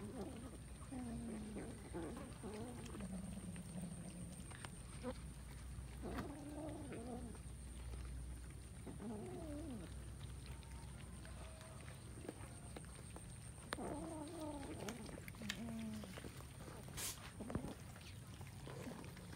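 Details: Several kittens eating rice; short harmonic mewing calls rise and fall in scattered bursts, some wavering, over a steady low hum, a thin high whine and soft clicking and chewing noises.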